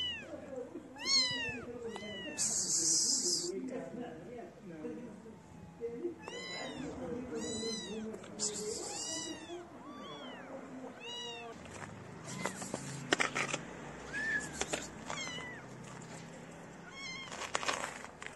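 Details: A group of street kittens meows insistently while being fed, with a rapid sequence of arched, harmonic cries in the first half, then scattered clicks, rustles and fainter calls later.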